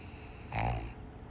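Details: Piper the pug snoring while asleep: a single short, low, rough snort-like breath near the middle, lasting about a third of a second, with a buzzy hum and a brief brighter upper edge, over quiet room hiss.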